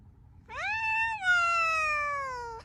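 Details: A single long meow from a domestic cat, rising sharply at the start, then held and slowly sliding down in pitch for about two seconds, clear and harmonic over a faint low hum.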